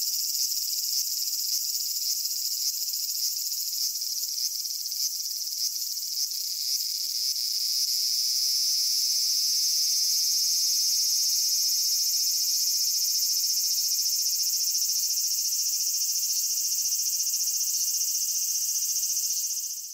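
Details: Cicada song recorded in Japan: a dense, steady high-pitched buzzing drone, faintly pulsed at first, then smoothing into a constant loud whine before fading at the end.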